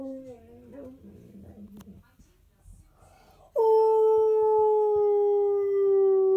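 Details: Husky/Malamute male dog lying comfortably at home, howling along to a favourite toothpaste TV advert; after brief wavering vocal sounds and quiet, a loud, sustained, pure-toned howl starts abruptly and glides slowly downward for nearly three seconds.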